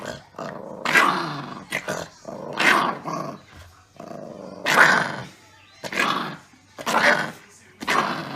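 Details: Playful Chihuahua puppy biting during rough play; gritty growls and snarls repeat roughly every second or so in irregular bursts, with faint background voices.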